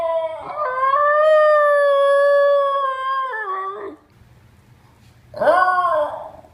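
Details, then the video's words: Basenji dog 'talking' indoors: a long, steady, tonal howl held for about three seconds, then bending down and stopping, followed after a pause by a shorter rising-then-falling yowl. "Talking Basenjis"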